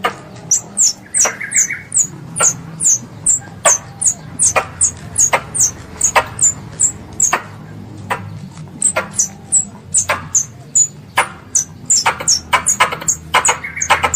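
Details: Pest squirrel calling for its mother, a recording used for ambush hunting: rapid series of thin, high descending chirps, roughly two or three per second, with intermittent sharp clicks over a low background drone.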